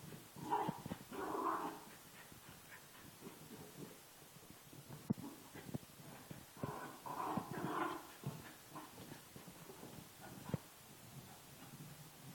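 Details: Mert, a female miniature schnauzer, playing excitedly with a giant workout ball indoors; short bursts of soft whining and grunting vocalizations come in clusters near the start and again around seven to eight seconds, between quiet thumps and handling noises.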